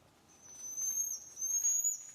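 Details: A common marmoset, a New World monkey, gives a long, pure, high whistle that holds steady and rises slightly at the end, in a vocal exchange where another marmoset answers after its call ends.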